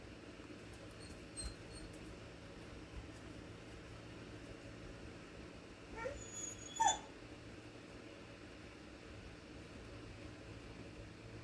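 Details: Dog yawning: a brief squeaky, rising vocal sweep about six seconds in, ending in a high thin squeal, over a steady low indoor hum.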